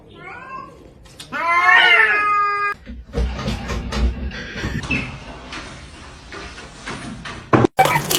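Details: Kitten giving one plaintive meow, about a second and a half long, rising and then holding steady, followed by rustling and clattering indoor noise and a sudden loud knock near the end.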